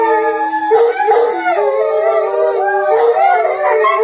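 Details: Pack of Rhodesian Ridgebacks howling in chorus, long sustained notes layered over one another, some rising and bending, a low steady tone running through the whole passage with brief yipping inflections.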